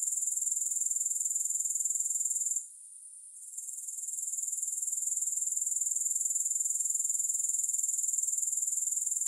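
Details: High, hissing grasshopper trill with no music. It pulses steadily near four beats per second, breaks off briefly early on, then returns and runs unbroken to the end.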